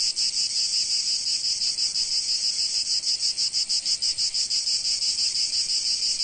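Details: Sunny Provence cicadas sing as one: an unbroken, sizzling high buzz with a regular throbbing beat near three pulses each second, and the rest quiet.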